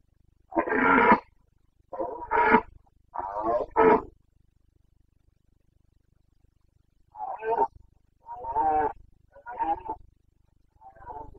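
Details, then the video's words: Carpathian red deer stag in breeding season, Bucovina mountains, Romania, 2022: a run of rough, throaty roars, three close bursts, a pause, then four more short grunting bellows trailing off. "Boncănit / Carpathian stag Breeding season"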